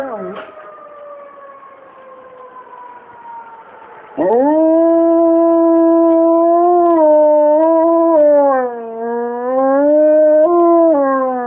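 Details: Pet dog Simba howls at a siren. A quieter, slowly falling tone comes first, then about four seconds in a loud, sustained harmonic howl begins. It holds steady, then dips and wavers in pitch for over seven seconds.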